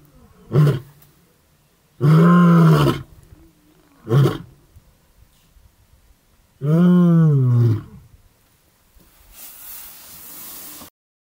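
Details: Adult male lion roaring in the Maasai Mara in the morning, near his mating brother, before crossing back to Tanzania: two long, deep, moaning roars of about a second each alternate with short grunts, and faint hiss follows at the end.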